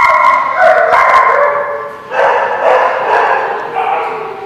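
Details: Dogs at The Barking Lot, recorded 2/24/17, giving tonal, wavering howls and whines mixed with short barks, the voices overlapping steadily throughout.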